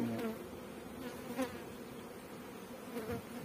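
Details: Farmed honey bees in Pakistan make a continuous low, even buzzing drone, with a few faint voice fragments at the start and middle.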